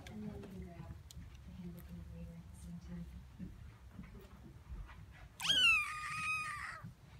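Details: House cat meowing in thanks indoors: after quiet murmuring, a single loud, drawn-out meow rises sharply, then holds and slowly falls, lasting over a second.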